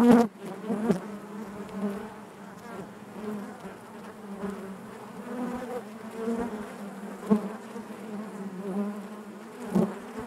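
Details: Natural buzzing within a beehive: honey bees produce an even droning hum for ten seconds, punctuated by a few sharp close wingbeat bursts and faint clicks from the comb.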